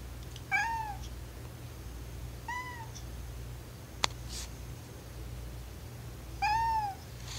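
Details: Male domestic cat making drawn-out oww-like meows because he wants to go downstairs; three clear, slightly arched meows spaced about two and four seconds apart, with a single sharp click between them and a low steady hum behind.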